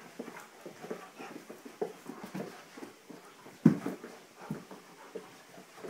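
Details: Two dogs, Gracie and Bentley, playing together: a run of short low grunts and snuffling bursts with breathy panting, and one sharper, louder yelp-like burst just past the middle.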